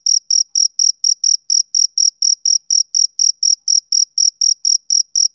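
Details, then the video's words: Rhythmic chirps of a male cricket on a summer evening, about twenty-two shrill, high pulses in quick regular succession, each with a slight trailing buzz, no background noise. "Cricket Chirping Sound Effect"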